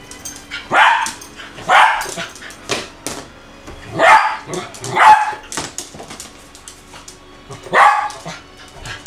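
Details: Playful barking from Lady, a roughly nine-year-old female dog of Eskimo husky and poodle mix, during a play session: about five loud, harsh barks at irregular intervals of one to two seconds, with softer growly sounds between them.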